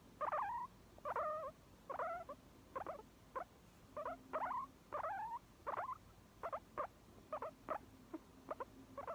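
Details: Guinea pig giving a steady run of short squeaking calls, each a quick wavering chirp, about a dozen spaced roughly every half to one second, in a quiet room.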